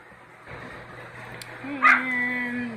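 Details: Yorkshire Terrier puppies, a litter of two males and two females: a single short, high-pitched yip rises sharply out of a quiet indoor background, followed by a steady low droning tone that holds to the end.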